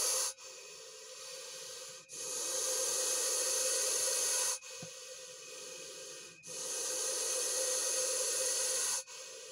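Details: Russell's viper in an agitated state after being attacked by a dachshund, hissing as loud as a pressure cooker whistle: long breathy broadband hisses of two to four seconds, alternating louder and softer phases, split by brief silent pauses.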